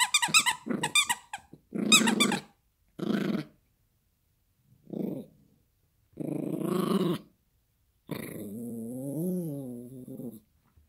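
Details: Yorkshire Terrier puppy Gracie playing with a squeaky toy indoors: sharp high squeaks open, followed by separate short growls and a longer wavering growl with a rising and falling tone at the end.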